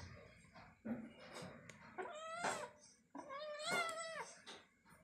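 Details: Kitten adopted from a bus terminal, playing or fighting indoors; two drawn-out, wavering harmonic meows rise and then fall, the second longer and louder, with soft scuffling and faint rustling between them.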